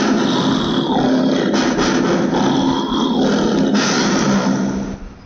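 A lion gives a loud, rough, sustained roar that fades away at the end.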